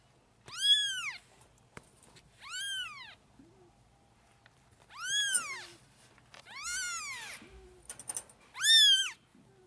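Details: Newborn kittens, five four-week-old kittens at bottle-feeding lunch time, jostling for milk: high arched mews repeated about every two seconds, each rising then falling, loud and clear over a quiet room.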